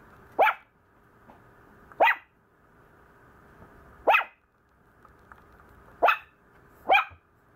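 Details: Maltese puppy, described as complaining a lot, giving short sharp high yaps, five in about seven seconds at uneven gaps of one to two seconds, over a steady faint indoor hum.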